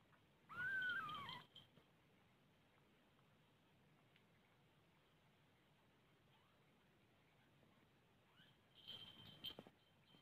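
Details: Mother cat with her kittens indoors: a single clear falling meow near the start, then quiet room tone, and a second brief cat call near the end.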